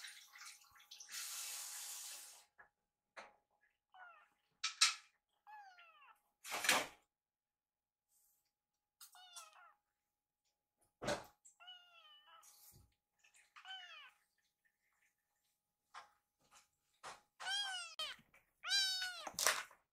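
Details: Indoor rescue kittens that mistook kitchen washing-up for feeding time meow crossly: short high downward-sliding cries scattered throughout, building to a rapid cluster of meows near the end, with running water and knocks.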